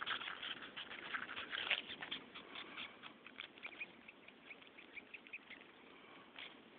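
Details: Cow killer, the flightless wasp known as red velvet ant, making a strange screaming sound: rapid, uneven raspy squeaks, loudest at the start and gradually fading into a soft, steady scratchy hiss.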